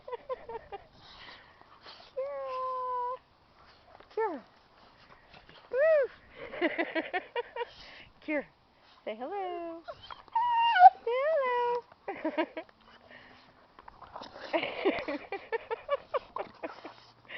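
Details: A pet dog, coaxed to say hello, answers with a run of short, high, tonal whines and yelps. Some are held level, others sweep sharply upward. Laughter and people's voices come in between.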